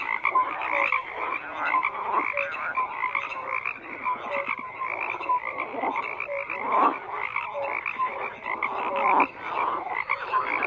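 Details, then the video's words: Chorus of frogs croaking, repeated raspy pulses and short whistle-like tones from several callers overlapping, with a louder burst near the end, no other sounds. "FROGS CROAKING"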